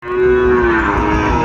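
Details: Sahiwal bull calf at a livestock market near Dhaka, Bangladesh, on 27 January 2025: one loud, steady, droning moo with a strong, even tone and rich overtones, lasting over a second.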